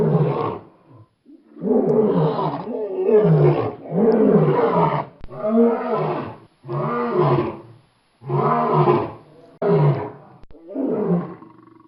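A lion gives a series of deep, rough roars, each about a second long, with short pauses between.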